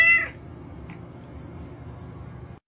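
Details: A tortoiseshell cat gives one short, high meow while having her rump scratched, followed by quiet room noise.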